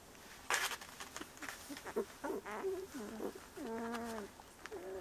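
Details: Seventeen-day-old Bordoodle puppies whining: several drawn-out, wavering tonal whimpers, some rising and falling, others flat and sustained near the end, with a few sharp clicks and rustles between them.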